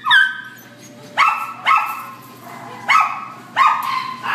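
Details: High-pitched barking from a black and tan Chihuahua held at a Devore shelter, six shrill, tonal yaps in uneven pairs separated by short gaps, with a low room hum underneath.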